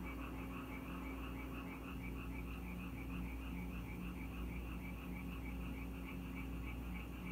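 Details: Rain-time frogs visiting a house in Korea, a steady chorus of quick pulsed croaks in regular bursts, layered callers overlapping continuously above a droning low hum.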